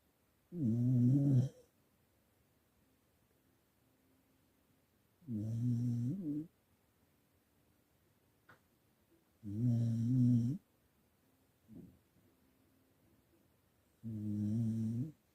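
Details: English Cocker Spaniel fast asleep, snoring steadily: four deep, rasping snores of about a second each, roughly every four seconds, with a faint breath sound in one gap and a quiet room otherwise.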